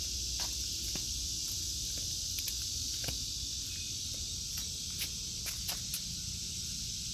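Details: Continuous high-pitched cicada buzz over a vegetable garden in August 2023, accompanied by repeated footstep crunches and light patter as someone walks between the beds.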